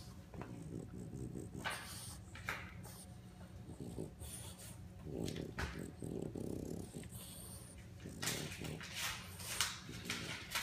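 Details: A French Bulldog puppy playing with a crawfish snorts, sniffs and grunts in short irregular bursts, with a brief human voice.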